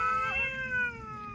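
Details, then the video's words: Cat talking with one drawn-out tonal meow, steady at first and then slowly falling and fading, clear harmonics, no other sounds. "Cats talking"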